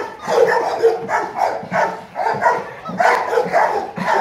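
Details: Rottweiler male, 10 months old, named Gold, from Gervi Kennel; loud, full barks come in quick succession, roughly every half second, with no other sounds.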